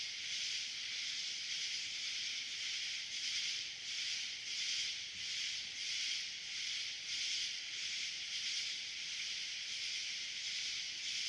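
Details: A dense nighttime cicada swarm in summer fills the air with a steady, high, hissing drone that pulses gently.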